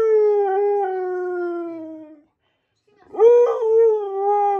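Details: Siberian Husky howling along to the song Flash: a long, slowly falling tonal howl with rich harmonics, a short pause, then a second howl that swoops up sharply and holds steady.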